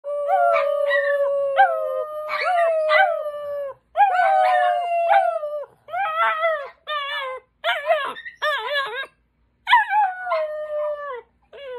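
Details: A mastiff puppy howls in long, wavering tones, joined by a howling person and a higher-pitched Chihuahua.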